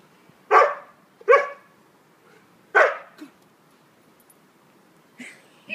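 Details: Siberian Husky playing in snow gives three loud, harsh barks within the first three seconds, one about every second, then a short softer yelp; fainter brief sounds follow near the end over quiet background.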